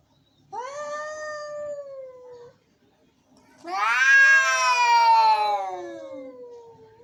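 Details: Angry cats meowing: a drawn-out flat moan of two seconds, silence, then a loud, harsh, rising yowl that swells and slowly fades over three seconds.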